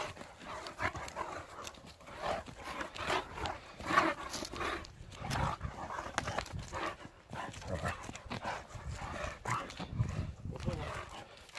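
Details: Two Irish Wolfhounds, Logan and Freya, on their morning run in the snow on 29 December 2018. Rhythmic, breathy panting bursts come several times a second, mixed with footfalls and a low rumble of movement.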